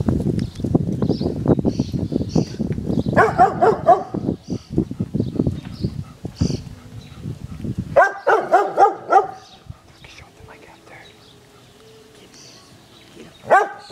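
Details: Pet dog barking at balloons on a garden fence: a loud rumbling, thumping stretch opens, then bursts of sharp, ringing barks come around the middle and again later, with a single bark right at the end.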